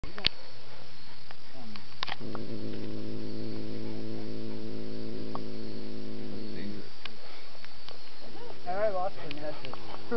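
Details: Pet cat on a camping trip, 9 September 2006, growling, cowering and hissing at dogs: a low, steady droning growl lasting about five seconds, then brief fainter sounds, over constant camcorder hiss.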